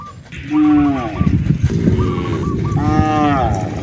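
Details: Cattle wandering along natural roads in search of fresh grass, calling three times in quick succession with deep, harmonic, slightly falling moos. Birds chirp softly in the background.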